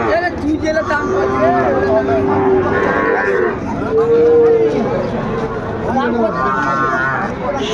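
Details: Sahiwal bull calves for sale at the start of Ambari cattle market in Dinajpur, Bangladesh, on 23 February: two long, steady, low moos, the second shorter, over a busy crowd of bargaining voices.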